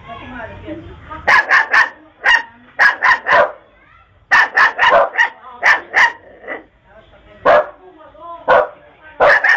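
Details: A dog barking in rapid bursts of two to four sharp, loud barks, with short pauses between volleys and a human voice heard faintly at the start.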